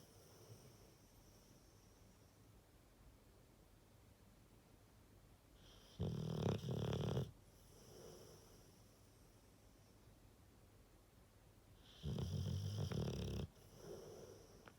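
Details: Rottweiler snoring indoors: deep, rumbling snores around 6 and 12 seconds, each lasting over a second, with softer breathing in between and a quiet background.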